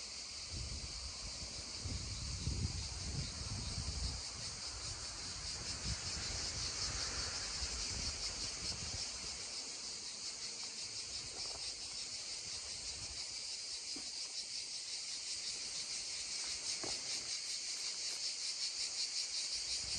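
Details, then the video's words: A steady, shimmering high buzz of cicadas beside a babbling stream holds for the whole stretch, with louder water rushing early on that then eases into a soft trickle. "溪聲蟬鳴2(原音), babbling stream and droning cicadas 2 (original sound)"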